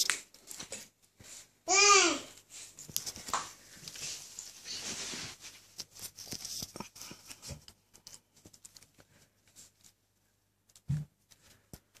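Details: An Alaskan Malamute puppy just waking up gives a brief, high, wavering whine over soft rustling.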